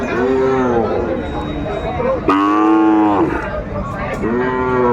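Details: Sahiwal bull calves at Aftabganj cattle market in Kurigram, Bangladesh, on a Saturday; several harmonic, arching moos about a second long, one louder call mid-clip, over a busy market murmur.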